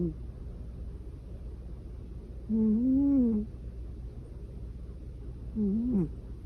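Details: A snoring domestic cat: two nasal, whistly, tonal snores with a rise-and-fall contour, the first longer at about a second, the second short, a few seconds apart, over a low steady room hum.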